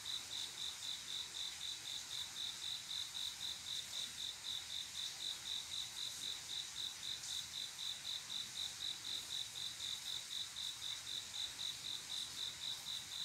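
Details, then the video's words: Male cricket singing to attract a female on a quiet summer night: an even, unbroken train of high chirps, about four per second, over a faint hiss of background noise. "조용한여름밤 귀뚜라미소리"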